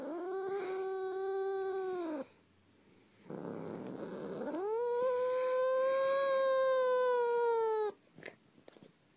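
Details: Domestic cat making weird noises: a long, steady, harmonic yowl, then a rough rumbling purr, then a rising, drawn-out wail held for about four seconds, ending in soft clicks.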